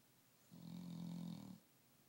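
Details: Dog asleep at nap time, giving a single low, rough snore that swells and fades over about one second, with quiet breathing before and after.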